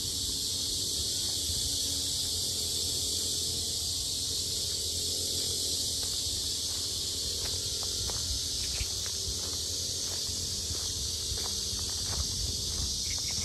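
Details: Cicadas at the Sinjeongho Lake lotus park in Asan, very loud: a dense, unbroken high-pitched hiss that holds steady throughout, with faint low rumble and scattered soft ticks beneath.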